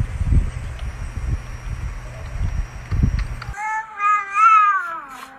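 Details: Angry cat: after about three seconds of low rumbling background noise, a single drawn-out harmonic meow rises and then falls in pitch to end the clip.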